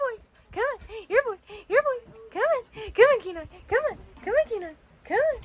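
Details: Husky puppy playing with a shih tzu, not yet ready to jump onto the bed, whines in a steady string of high yips, each rising then falling, about two per second, while a person urges it on with repeated "come on."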